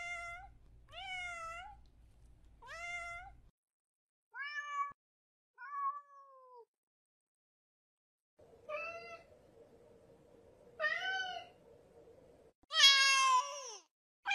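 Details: Cat calls for attracting cats: a run of short rising-falling meows, some quick pairs, with a low hum early on and a steady buzzing tone midway, closing on a loud, harsh, strained meow.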